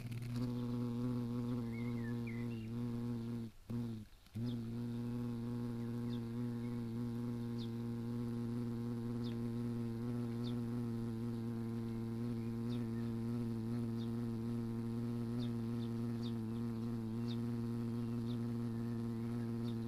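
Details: Buzz of a European hornet attacking wasps among garden fruit in summer: steady, low, rich droning hum held for nearly twenty seconds, briefly cut off twice near the start, with faint ticking sounds above.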